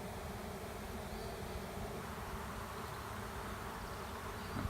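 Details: A honey bee swarm taking over an empty hive standing at the end of a driveway: a thick, constant whirring hum from a mass of flying bees, level and unchanging, ending in a faint knock.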